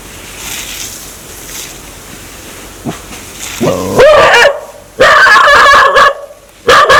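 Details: Aggressive dog wanting to bite people: a faint rumbling start with background noise, then a growl rising into a series of loud, harsh barks in quick succession.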